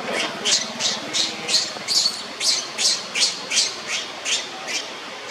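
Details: Monkey Leo, tormented by Libby, wails on the ground with a rhythmic string of high, harsh squeaks about three per second, over a faint low murmur.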